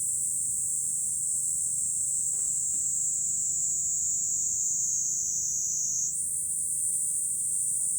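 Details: Cicadas singing in July from high ground overlooking Fukuoka city, Japan: a dense, steady, shrill high-pitched drone fills the whole recording, its pitch stepping slightly upward near the end, with little else audible.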